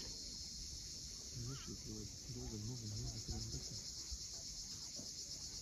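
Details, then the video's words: A Crimean sunset chorus of cicadas on the steep coast of Cape Fiolent: a constant high pulsing buzz, joined mid-clip by a burst of short, warbling chirps, with waves murmuring below. "Cicadas at sunset."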